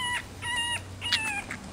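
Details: Hungry Rottweiler puppies at their black mother during nursing. Three quick, thin whines, flat then falling, come in rapid succession over a low steady hum.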